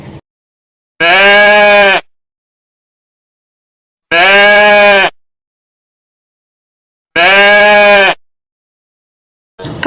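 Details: Goat bleating to call its young or signal danger, an adaptation for protecting the family on steep mountains; three drawn-out, wavering, nasal bleats of about one second each, evenly spaced roughly three seconds apart with silence between.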